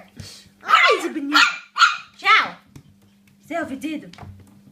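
Yorkshire Terrier puppies give short, high, downward-sliding yelps, with a person talking nearby.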